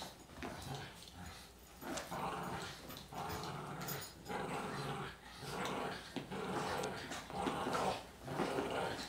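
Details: Two Boston Terriers, one 18 lb and one 40 lb, play tug-of-war, growling in rough, rumbling bursts about once a second with a few whimpers.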